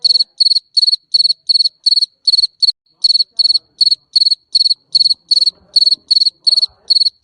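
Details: Shrill, rapid chirping of a garden cricket used as a rat deterrent: evenly spaced buzzy pulses repeating about three times a second, broken once by a short pause, otherwise continuous against near silence.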